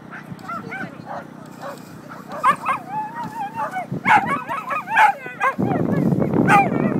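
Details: Lily, a nine-year-old Staffordshire Bull Terrier, at a lure coursing event she loves: excited, wavering high yelps and whines come in irregular bursts, with a low rumbling noise filling the last seconds.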